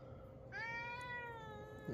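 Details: Indoor pet cat, annoyed at having its fur brushed the wrong way, gives one drawn-out tonal meow that rises slightly and then slowly falls over about one and a half seconds. A faint low hum sits underneath.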